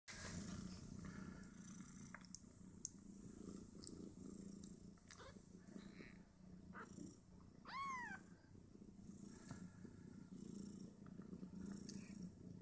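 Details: Five two-day-old Snowshoe Siamese kittens nursing on their mother and fighting over teats; steady low purring runs throughout, with one sharp, arching high squeak near the end and faint rustling.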